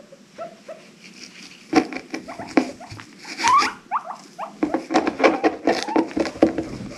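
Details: Pet guinea pigs making assorted noises, described as happy wheeking and squeaking: scattered short rising squeaks amid clicks and rustling patter, with a louder cluster of chirpy notes near the end.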